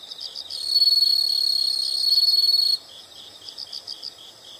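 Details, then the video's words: A chorus of insects: soft pulsed chirps, then a loud unbroken high buzzing trill for about two seconds that cuts off sharply, followed again by rapid rhythmic chirping. "the sound of insects"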